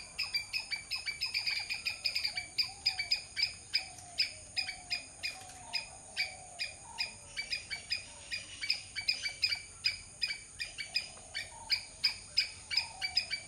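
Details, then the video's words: Squirrel giving a long run of sharp, clicking chatter notes, about two to three per second, steady but slightly uneven in spacing; soft, faint whistled tones drift underneath throughout. "squirrel sound"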